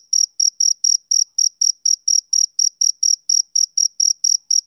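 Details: High, clear chirping from a male cricket on a summer evening, each pulse slightly longer and evenly spaced, about four per second, against complete quiet.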